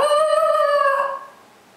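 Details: A male Basenji, challenging his packmate to a living-room play battle, gives a sustained, tonal, howl-like cry that holds steady and then fades away.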